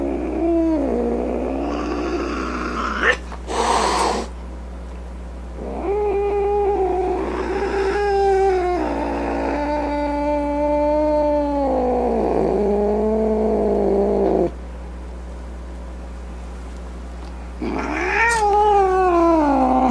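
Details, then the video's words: Domestic cat in an angry, grumpy mood, giving several drawn-out wavering yowls with rich harmonics, broken by a short broadband hissing burst near the start and another near the end; steady low hum underneath. "Cat Sounds | Cat Meow Sounds, Snarling Sounds, Hissing Sounds | The Sounds a Cat Makes"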